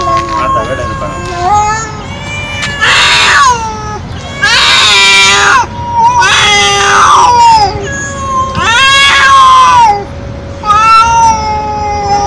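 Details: Loud, nonstop meowing from a stray feral cat, a run of long wailing calls, some sliding downward and some rough and noisy, coming about every two seconds with a steady hum beneath.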